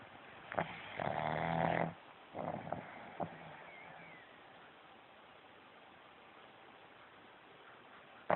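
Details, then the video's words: A pug snoring indoors, recorded on a phone: a long buzzing snore lasting nearly a second, then two shorter rasping breaths, a pause of quiet, and a final sharp snort. "the pug Snoring"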